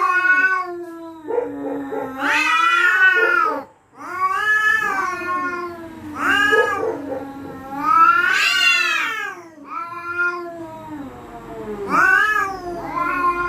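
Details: Cats defending territory at night and threatening each other: an unbroken run of wavering caterwauls, pitch climbing into shrill peaks and dropping into low moans, with hardly a pause.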